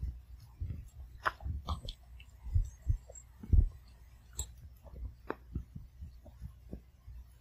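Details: Indoors in a quiet home, Sugar the Pomeranian chews her food one kibble at a time. Scattered crisp crunches and soft low thuds come at uneven intervals.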